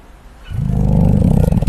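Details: Koala (Phascolarctos cinereus), snoring.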